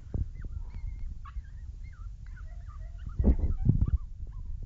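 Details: Two-month-old springer spaniel puppies relaxing and playing with game; thin, high squeaky whimpers and whines, some sliding up or down in pitch, scattered over soft thumps and shuffling, with a louder burst of scuffling toward the end.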